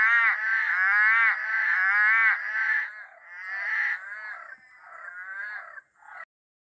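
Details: Night chorus of Eastern Dwarf Tree Frogs in dark, drizzling rainforest: loud rasping, harmonic croaks overlap in quick succession, then thin out into fainter scattered calls before a final short burst and silence.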